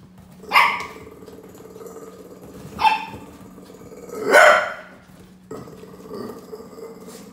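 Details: Hyper Brussels Griffon puppy barking indoors: four short, sharp barks spaced about one to two seconds apart, the third loudest and longest, over a steady low background hum.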